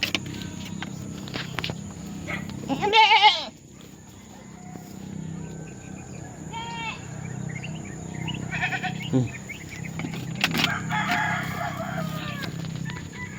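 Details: Pet goat, one seemingly pregnant, kept by its owners; a few short wavering bleats scattered among Tagalog conversation and background hum, one loud burst near the third second.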